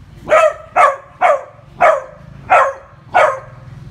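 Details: Beagle barking while arguing with a bug: six sharp, loud barks spaced roughly every half second to second, each with strong harmonic bands, over a low steady hum.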